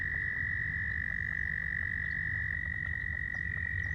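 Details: Male American toads calling to attract females at a pond in spring give a loud, steady, high musical trill without a break, with faint clucking leopard frogs behind.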